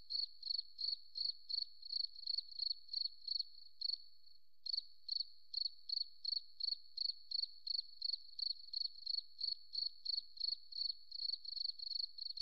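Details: A cricket calls in a forest with rapid high-pitched pulsed chirps about three per second, broken by a single one-second pause midway, then resuming at the same steady rhythm; nothing else audible.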